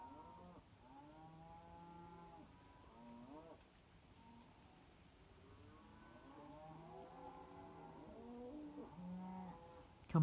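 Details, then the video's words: Several cows mooing at night near Kyneton, 26 May 2023, long low overlapping moos with sliding harmonics, nearly continuous, some rising and some falling, over a low rumbling background. "Cows and other animals making noise last few days."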